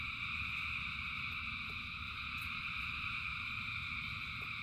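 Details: Frogs calling together in the rain, thousands strong, blending into a continuous high droning hum with no gaps, layered over a steady low rushing background and a few soft ticks.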